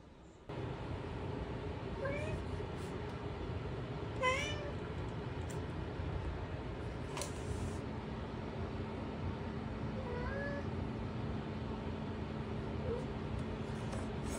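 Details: Louie, a British Shorthair kitten indoors, begging to go outside: several clear rising-falling meows around two, four and ten seconds, harmonics stacked, over steady room hum, with a brief clatter near seven seconds and a person speaking to him.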